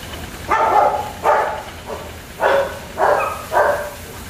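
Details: Five clear, fairly deep barks from German Shepherd puppies at a kennel, each about half a second long and spaced evenly, with a quiet hum behind.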